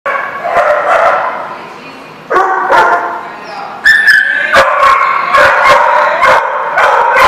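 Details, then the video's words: Dogs at a place called The Barking Lot, recorded 24 March 2014, barking loudly and repeatedly, with sharp overlapping barks from several animals and a high yip near the middle. "The Barking Lot"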